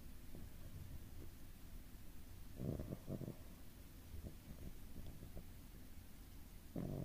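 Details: Sleeping cat Doraemon snoring softly, with short low rasping snores spaced several seconds apart and quieter breaths between, against a constant air purifier hum indoors.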